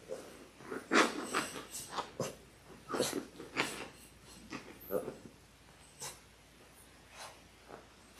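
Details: Six-week-old Labrador Retriever puppies, a litter of six born January 18, 2022, on a live puppy cam, giving short, sharp, breathy bursts at irregular intervals, some close together and others spaced about a second apart, in a small indoor room.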